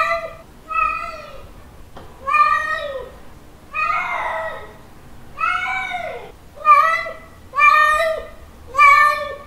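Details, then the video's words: Male cat in heat calling for a female with a mating call: nine clear, tonal meows, short and level alternating with longer, harsher wails that bow down in pitch, repeated about once a second. "Male cat mating call sounds 🤪 Male cat calling female 🤪 Cat in heat sounds"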